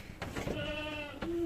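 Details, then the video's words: Short, nasal bleat from a purebred Anglo-Nubian goat among two newly delivered mothers, a steady harmonic tone held under half a second over a busy, noisy barn background with scattered knocks. "Dalawang Purebred Anglo-nubian ang nanganak"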